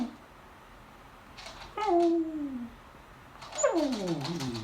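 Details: Female beagle begging at the table while people eat lunch indoors, staring at them: two drawn-out whines, the first a falling tone near the two-second mark, the second longer and sliding downward at the end.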